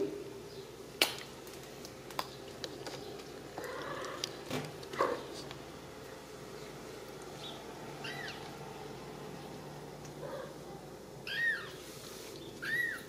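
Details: Ragdoll kittens raised in a home cattery in central Kansas without cages; after quiet rustling and a few thumps, two short, high, arched mews sound near the end of the clip indoors.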